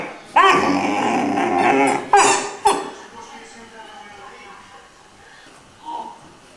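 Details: Iarla, a three-month-old Irish Wolfhound puppy, sings indoors: a long wavering harmonic howl for about a second and a half, then two short sharp yelps, fading into a quiet room with one soft whine near the end.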